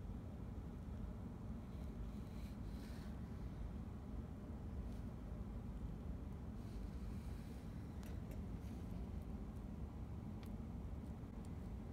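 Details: Steady low rumble like distant traffic or wind with faint scattered clicks, no animal call present.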